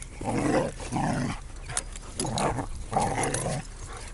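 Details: A two-year-old black Labrador mix at a dog park in Canada on his day of arrival, his first dog park visit; four rough, throaty growl-like bursts, each about a second long, separated by short pauses.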